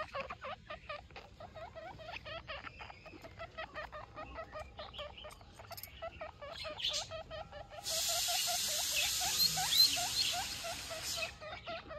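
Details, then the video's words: Guinea pig baby calling mom with a steady series of shrill, squeaky upswept chirps, about two and a half per second, then a burst of hissing rustle from eight to eleven seconds while fainter chirps continue. "Guinea pig baby calling mom"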